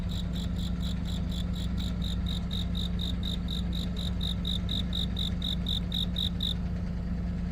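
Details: Cricket chirping on a deepening autumn night: high, clear pulses repeated about four times a second in a steady run, stopping near the end, over a constant low rumbling hum.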